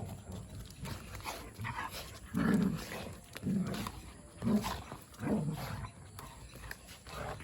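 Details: Two pet dogs, Robin the Labrador and Dheera the Chippiparai, playing wildly. Four short, rough, low growling bursts come about a second apart, with quieter scuffling between them and faint outdoor background.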